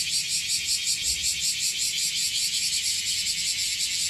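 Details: Okinawan bear cicadas, more of them than yesterday, fill the air with a continuous shrill buzz that throbs in quick regular pulses; faint low background rumble.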